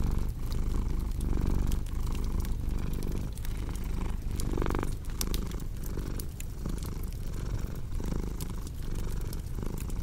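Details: Relaxing cat purr with a crackling fireplace; a thick low rumble rhythmically swelling about every second, with a brief louder breathy surge midway and scattered crisp fire snaps.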